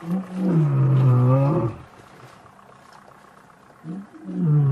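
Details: Male lion roaring in the wild as rival coalitions challenge each other during an attempted pride takeover, dated 5 August 2015; a deep, loud moaning roar that falls then rises, followed after a pause by another roar starting.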